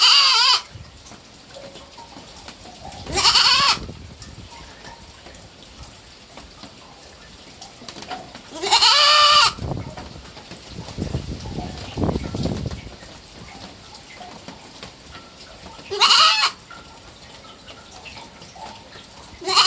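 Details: Three-month-old pet baby goat, a kid, giving high harmonic bleats, three separate calls spaced several seconds apart over a quiet background with a soft low rustle in between.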